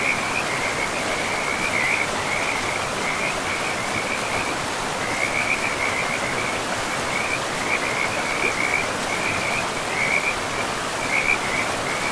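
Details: Frogs by a forest river amid moss-covered land, producing rippling trilled calls in bursts of a second or two, separated by short gaps, above a constant broadband roar of the river.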